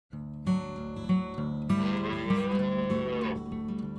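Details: A tame cow grazing on grass gives a long, low, drawn-out moo over plucked guitar music.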